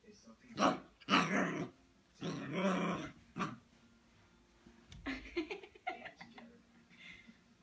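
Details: A six-week-old Siberian Husky puppy indoors in Austin, Texas, picks a fight with its own reflection in a mirror: rough, harsh growling bursts and snappy barks in short volleys, separated by brief pauses.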